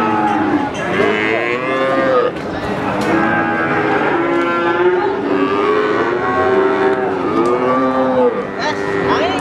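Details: Many cattle at the Wagenan cattle market in Pati bellowing in turn: a chorus of long, wavering moos, some rising then falling, repeated every second or two, with clatter and crowd noise throughout.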